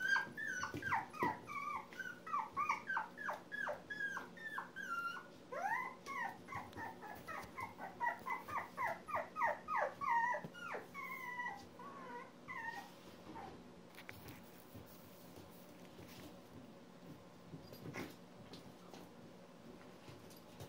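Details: Litter of one-month-old Poodle pups whining indoors. For about thirteen seconds there is a dense stream of high squeaky whimpers, each falling in pitch, overlapping and rapid. The whimpers then fade, leaving quiet rustling and occasional clicks.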